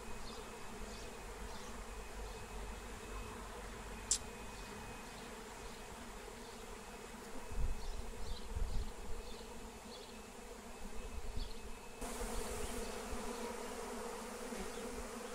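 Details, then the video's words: Flying wild honeybee swarm being caught with Melissa plant, steady droning hum throughout, soft bird chirps repeating in the distance, a sharp click near four seconds and low gusty rumbles midway. "Honey Bee Swarm Capture with Melissa plant"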